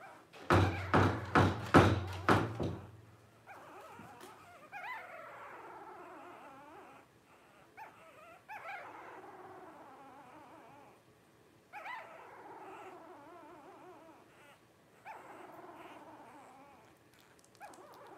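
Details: Five Blenheim Cavalier King Charles Spaniel puppies, 12 days old, begin with a run of loud thumps, then give softer wavering whimpers in separate bouts across the rest of the recording.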